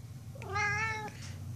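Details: Indoors, the pet cat Tux scolds its owner, a yell he repeats every day: a short rising onset swells into a level, strongly harmonic meow that cuts off abruptly, with soft talking around it.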